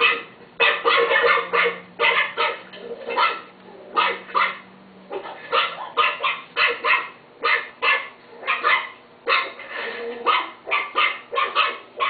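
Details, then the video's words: Pet Chihuahua barking in quick bursts of sharp, high yaps, often doubled or tripled, with short pauses between bursts over about twelve seconds. "My chihuahua Timo bark"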